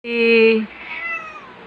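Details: An angry domestic cat gives a loud, drawn-out meow, steady at first and then sliding gradually downward as it fades; a woman's voice calls out just afterward.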